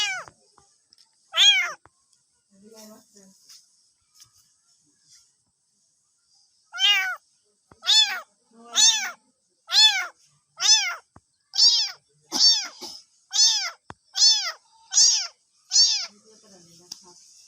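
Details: Cats and kittens meowing, some very loudly, kittens calling for their mother: a run of about a dozen high, arched meows repeated roughly once a second after a few scattered earlier calls, in a quiet indoor setting.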